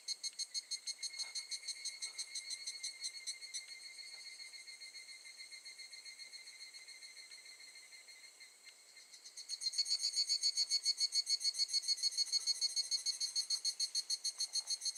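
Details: Evening cicada (higurashi) singing at Gakujin no Mori campground, Tokushima, Japan, in August 2018: a high, shrill train of rapid metallic pulses that softens mid-phrase, then swells into a louder, faster burst of ringing beats.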